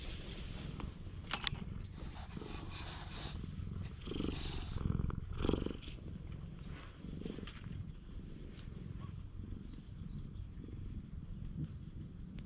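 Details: Friendly stray cat seeking attention on a cat island, GoPro HERO8 recording: deep, even purring rumble running the whole stretch, a few louder swells midway, with scattered clicks and rustling.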